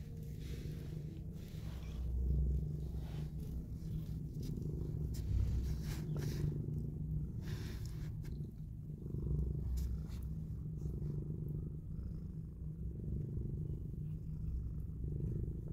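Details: Mother cat purring while cuddling and kissing her newborn kittens as they open their eyes; a steady, deep, rumbling purr runs throughout with soft rustling.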